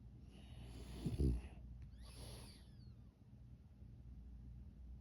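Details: Pug asleep, giving one short loud snorting snore followed by a softer wheezy breath, then quiet low background hum.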